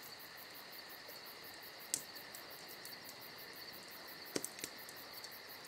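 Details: A high, unbroken cricket chirping fills a summer night. A crackling campfire adds scattered pops, including a sharp pair near the end.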